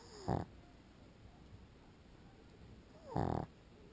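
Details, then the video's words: Snoring from a sleeping pug: a short gritty snort at the start and a longer, louder rattling one about three seconds later, both low and throaty. "Grasioso Perro Pug Roncando cuando Duerme"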